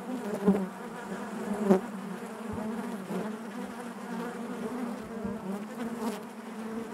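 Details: Honey bees inside their hive make a steady, dense droning hum with layered overtones, and a couple of brief louder swells rise early before the buzz settles into an even, continuous drone.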